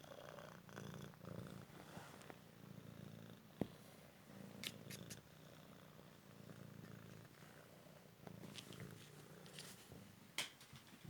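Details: Indoor fetch game with a young male Cymric cat rescued from the street after a car accident; continuous low purring pulses fill the clip, with occasional sharp clicks and light scraping.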